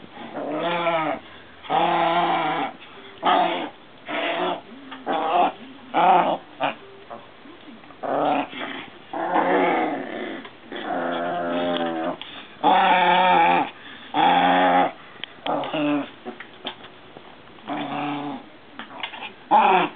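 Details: Three Maltese sisters playing together with a frog and giving playful growls. The snarls are raspy and harmonic, some short and some drawn out over two seconds, and come in an uneven, almost continuous run of bursts.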